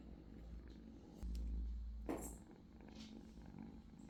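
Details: Low rumbling purr from British Shorthair kittens, interrupted by a louder thump and bump of handling noise in the middle before the steady purring resumes.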